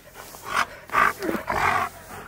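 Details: Happy Husky receiving his favourite things gives three quick, bright whining yelps in a row, each under half a second, rising and falling slightly, with faint room noise between.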